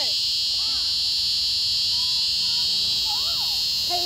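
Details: Screaming cicada, a Locus Cicada, holding one steady, loud, high-pitched buzz without any break for the whole stretch. Faint sliding tones, like distant voices, sit quietly underneath.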